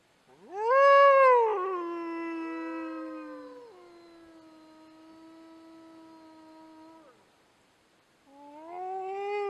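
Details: Wolves howl at an icy mount in long, steady tones, one voice rising sharply before settling, others overlapping at different pitches.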